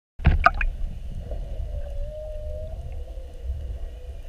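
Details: Whales recorded underwater during a mugging, spy-hopping around a whale-watch boat for an hour on a morning whale watch: a few sharp clicks open, then a thin, steady tonal moan slides gently upward and levels off, over low rumbling water noise.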